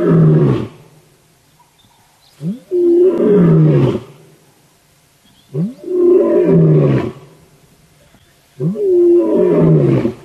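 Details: Lion, the Birmingham male, roaring loudly at sunrise on 19 September 2016, heard on a live safari; powerful low roars, each preceded by a short rising grunt, repeated about every three seconds in a strong regular series.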